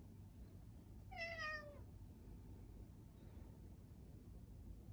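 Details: Meowing cat in a Tokyo park in Adachi ward, Japan, December 2, 2022, walking alongside and pouncing on its owner: one clear, falling, harmonic meow lasting under a second, then quiet with low traffic-like hum.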